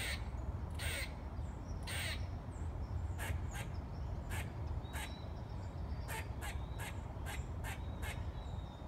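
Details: Singing squirrel giving loud, abrupt broadband barks, first slow, then quicker clusters of two or three clicks, set against a continuous deep rumbling background.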